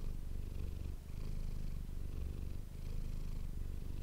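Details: Close-miked purring of the domestic cat Manis, recorded for ASMR: a low, rough rumble that pulses rapidly, with short dips at each breath change.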